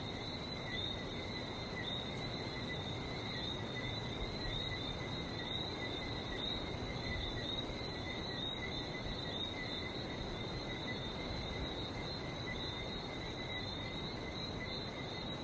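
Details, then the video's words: Long unbroken frog chorus from Barbados, countless high chirps forming steady pulsing bands, with roaring sea surf beneath for the whole recording. "Relaxing sounds of #Barbados #frog #sea"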